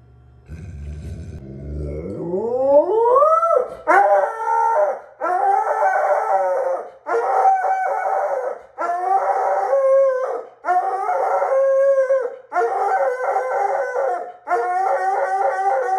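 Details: Alaskan Malamute in a vocal back-and-forth exchange: a rising howl-like glide opens, then a run of loud, harmonic-rich woo-woo phrases, each about a second long, repeated with short pauses between.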